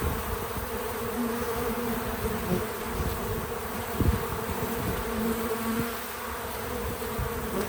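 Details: Several bees at a feeder make a continuous low, droning hum that swells gently now and then, with brief louder passes as individuals fly close; the buzzing is real-time audio.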